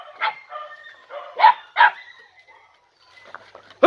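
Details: Podenco Andaluz puppies, three and a half months old, named Coco, Camarón, Roca and Última, on their first time in a riding arena; several sharp, yelping barks in quick bursts, with a man speaking afterwards.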